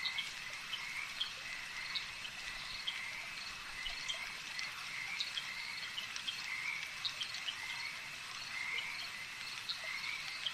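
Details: Frogs at a lakeside, a busy chorus of sharp pulsed calls, some louder individual bursts rising above a continuous high-pitched trilling backdrop.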